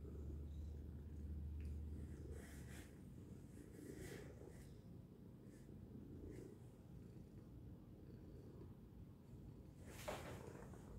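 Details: A cat named Tacy gives a loud, continuous low purr in a small room, the deep throbbing rhythm steady throughout, broken by faint rustles and one short bright noise burst near the end.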